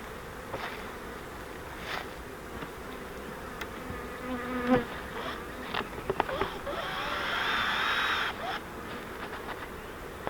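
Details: Honeybee swarm caught in a flowerpot-shaped fiber swarm trap, being moved into a Langstroth hive: a dense, steady buzzing hum with a faint low drone, sharp clicks and knocks from handling the trap, and a swelling louder buzz near the end.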